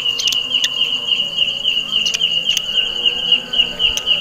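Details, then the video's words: Belalang kecek, a grasshopper found in a jackfruit tree, calling very loudly: a steady high-pitched buzzing trill pulsing about three to four times per second, with occasional sharp clicks above it. "suara belalang kecek"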